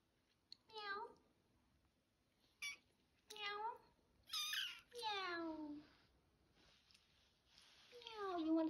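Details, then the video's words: Kitten's first meows, a run of five or six thin, high mews, some sliding downward, coming in quick succession with short pauses, mixed with light handling noises and a human voice. "Kitten Waffle Lee’s first Meow"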